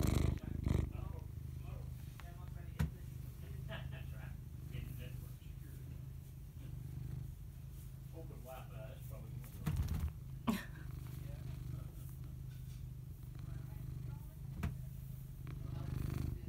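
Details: A cat purrs in a steady, low rumbling drone that runs through the whole recording, with faint higher murmurs and a few sharp clicks and knocks on top.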